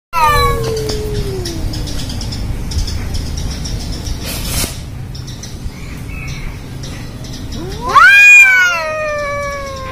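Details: Angora cat facing a village cat, the two said never to get along, with black and orange cats involved: a long falling meow opens, then quiet, then a loud, harmonic wail rising and sliding down near the end.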